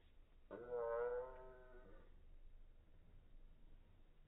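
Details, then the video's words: A male Bengal cat named Kuma cries in slow motion while in heat. A single drawn-out, deep, rich moan rises and then fades over about a second and a half. "Bengal cat meowing in slow-motion"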